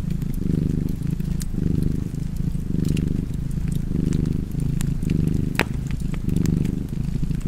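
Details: Domestic cat purring beside a crackling fireplace; low rumbling purr in steady inhale-exhale cycles, about one per second, with sharp fire crackles and pops scattered above.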